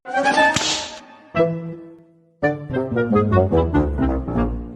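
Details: Brass-led comedic music with plucked and percussive notes, a short pause, then a bouncy repeated melody; no animal sounds are heard.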